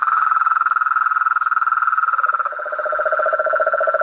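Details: Chorus of frogs and toads: a fast, even mid-pitched trill carries on nonstop, joined halfway by a second, lower pulsing trill, over a constant thin high whine.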